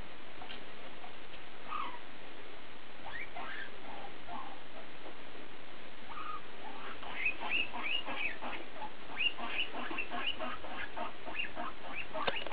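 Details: Guinea pig BooBoo talking: soft scattered squeaks early, then a denser run of short chirping notes and quick upward sweeps in the last five seconds, fairly quiet overall.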